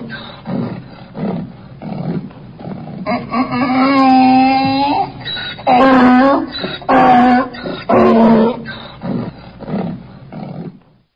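Short, breathy wheezes open the sequence before a donkey launches into a loud, harmonic bray. Long honking notes alternate with rougher gasping ones in the classic hee-haw rhythm, then fade into panting.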